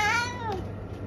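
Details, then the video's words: The tail end of a meow from Eric, a senior English tabby cat, fades out indoors as a smooth downward-gliding tone, then quiet room hum remains. "What noise are we making today, Eric?"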